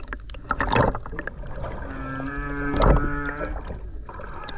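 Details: Wild humpback whale singing underwater off the Ogasawara Islands, Tokyo, Japan, on 29 January 2022, captured on a GoPro during a skin dive; a sustained low harmonic moan holds steady for over a second between bursts of splashing and bubbles.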